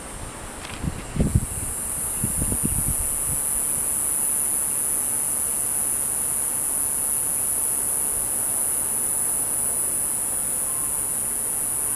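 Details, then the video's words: Cicada filmed close up from about ten feet away with a handheld telephoto lens. A few low handling thumps come first, then a loud, steady, very high-pitched whine runs unbroken to the end. "Cicada Video and Sound"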